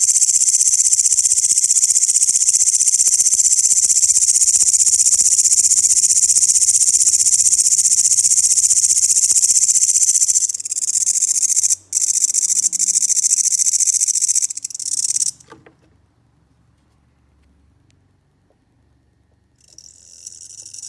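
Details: Loud grasshopper song, a shrill, evenly pulsed hiss lasting about ten seconds, then faltering and breaking off into near silence before the high buzz returns faintly at the end.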